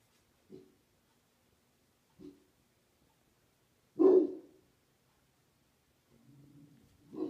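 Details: Rottweilers defending against a scary smiley face balloon: a few sparse deep barks, one loud bark in the middle, then a low rumbling growl leading into another bark at the end, with quiet between.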